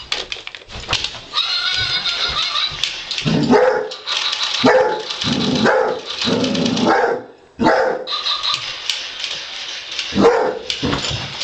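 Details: Pet Basset Hound Wilma in rough play against a robot dog, giving repeated yelping barks and whiny yips in dense bursts separated by brief gaps, with bright clattering noise throughout.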